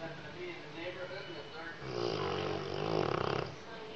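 A Rottweiler snores with a deep, rattling rumble that swells into a buzzy, fluttering breath.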